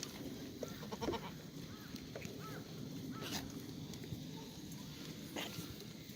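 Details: Black goats in the goat exercise yard of a farm in Gimhae, South Korea, on a sunny Monday morning, 1 April 2019: several faint, short, wavering bleats from a distance over steady broadband farm noise, with occasional sharp clicks and knocks.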